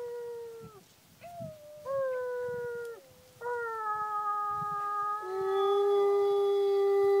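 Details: A dog howling in long, clear, tonal notes that start with falling slides, then hold steady and rise into a sustained high wail, with a person's voice faintly behind.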